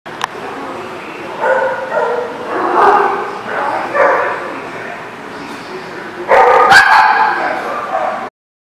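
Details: Dog barking, recorded 8/9/19: a run of loud, harmonic barks and yips in uneven bursts, with a sharp cluster of barks near the end, and human speech mixed in underneath.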